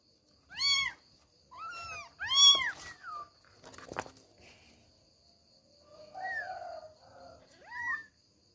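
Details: Kittens Billie, Ely and Backy meowing while struggling to climb out of their bed so they can run around; three loud, high arched meows in quick succession, a sharp knock, then softer, wavering mews near the end.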